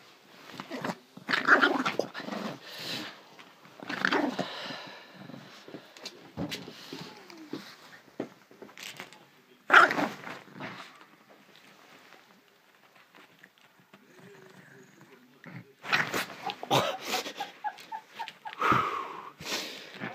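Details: A Chihuahua on the attack, growling and snarling in rough, noisy bursts, loudest near the start, around ten seconds and over the last five seconds, with a quieter lull in between.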